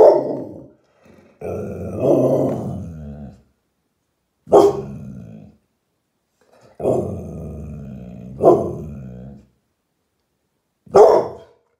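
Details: American Staffordshire Terrier, ever alert, barking and growling at someone walking past outside: long rumbling growl-barks alternate with short sharp single barks, about six bursts separated by silent gaps, indoors.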